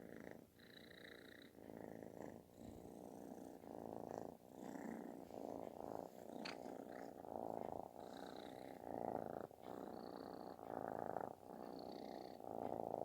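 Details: Snore-like, very loud purring from a kitten wanting attention; continuous gravelly rumble with breath cycles close together, growing louder toward the end, plus occasional faint clicks.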